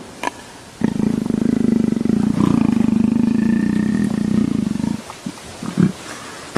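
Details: Leopard enjoying a scratch behind the ear and seeking more affection, purring in a deep, fast, even throb for about four seconds; brief low grunts and rustles follow.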